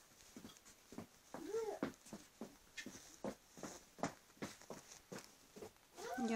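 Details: Border Collie puppies, 13 days old, indoors, giving soft whimpering and squeaking calls, some rising-falling arched whines, repeated in short bursts with faint human voice in the background.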